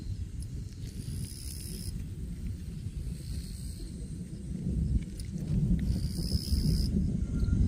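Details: Shrill, even insect trilling from grass, switching on for roughly a second at a time in separate bursts with pauses between, beneath a constant deep rumbling background noise.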